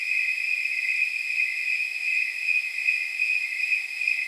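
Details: Snowy tree crickets, also called temperature crickets, chirp in regular high pulses on a night of about 79 degrees, forming a constant jingling whistle with no other sounds.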